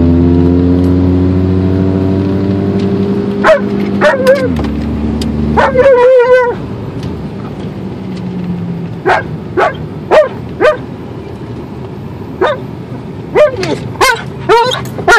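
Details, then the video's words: In a car on the way to the dog park, an Alaskan Malamute lets out a run of sharp, bending yips and short barks at uneven intervals. A low engine drone rises and falls beneath them. "Three minute drive with Alaskan Malamute"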